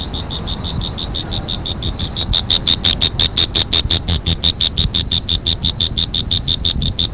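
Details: Insect calling with sharp high chirps repeated steadily, about three per second, with a faint overtone above each; a low rumble runs underneath throughout.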